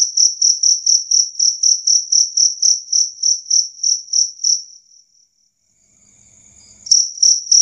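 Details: Two-spotted cricket chirping clearly and loudly, high pulses about four a second that fade out midway, a few seconds of faint rustling, then the chirps start again.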